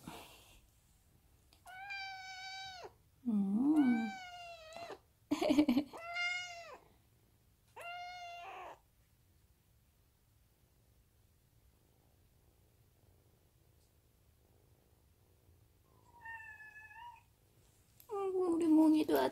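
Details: Munchkin kitten at home meowing in response to its owner's touch, with a second cat also meowing briefly. Clear, high, tonal meows come in a quick burst of about five, then a pause, then two more, with the owner's soft voice nearby.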